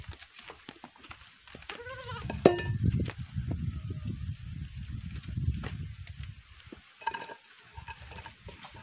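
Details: Goats being sold: a wavering, harmonic bleat rises and falls near two seconds, with a fainter bleat later, over low clattering and rumbling background noise.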